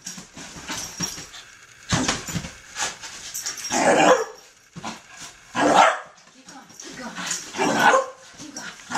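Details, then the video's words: Ten-month-old puppy Poppy, a wheaten terrier and wire fox terrier mix, having wild zoomies on the bed; sharp barks burst out in clusters between rustling bedding, with human voices in the background. "Poppy with crazy zoomies on the bed"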